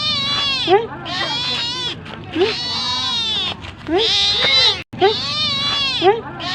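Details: Hungry domestic cat begging for food with insistent, drawn-out meows, bending up then down, repeated in quick succession with one abrupt silent break near the end.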